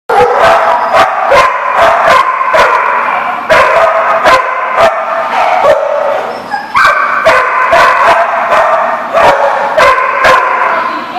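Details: Dogs barking in a chorus, many sharp overlapping barks in rapid succession throughout, with a steady din of other barking and yipping behind them.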